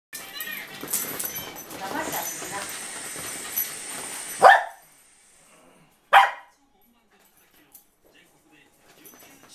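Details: A Corgi gives two sharp, clipped barks after a stretch of scuffling noise while play-wrestling roughly with another dog on a hot day.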